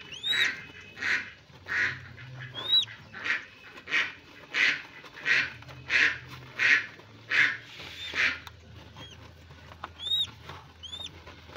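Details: Albino hedgehogs being paired for mating in Kediri give steady, breathy huffing bursts, about one and a half each second, while thin rising chirps flick in and out high above and a low hum runs underneath.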